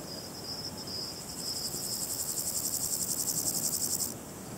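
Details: A Variable Chorthippus grasshopper (Chorthippus maritimus, Balkan brown grasshopper), easily recognised by its sound, produces a high, dry rasping series of rapid pulses lasting a few seconds.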